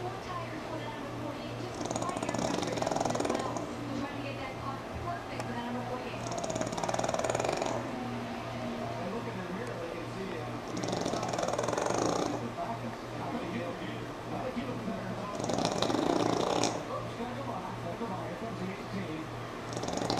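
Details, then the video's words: Pug named Sammi asleep while NASCAR plays, giving five long rattling snores spaced roughly four seconds apart, each swelling then fading, over steady background television voices. "Pug Snore Monster"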